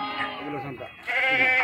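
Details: Sheep unloading at the Pattikonda market, Kurnool district, Andhra Pradesh, India; a short strained bleat, then a brighter, higher wavering baa begins midway, over background chatter.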